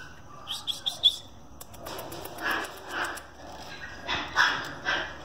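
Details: Male French Bulldog with a variegated red coat giving several short, rough barks spaced about half a second to a second apart, after a quick run of high bird chirps at the start.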